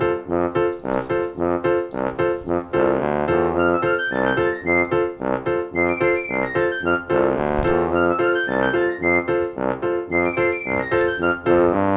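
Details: Only music is heard: steady brass and keyboard notes in a repeating rhythm, with no animal sound.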